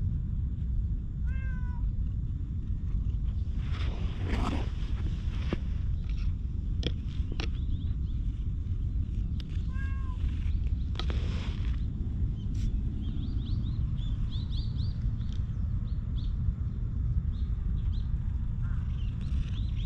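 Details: Two community cats in a park, one calico and one milk-tea coloured, recorded with a GoPro HERO8. Two brief meows, about eight seconds apart, sit among rustling and clattering handling noises, with faint high chirps near the end.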